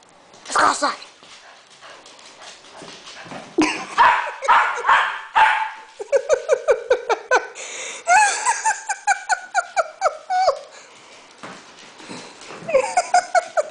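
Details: Seven-year-old dog pestered by a younger puppy at home, letting out sharp barks and bursts of whining yelps, some in quick repeated runs, while a person speaks to the dogs in the background.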